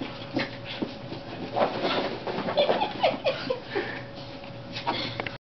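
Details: Two young corgis, cousins and new playmates, play indoors, giving short, high yips and thin, squeaky whines in quick, irregular bursts, with soft rustling and scuffling between them.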